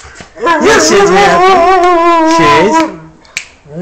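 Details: A Siberian Husky gives a drawn-out, wavering howl that bends up and down like singing, greeting its owner on arrival home after missing him.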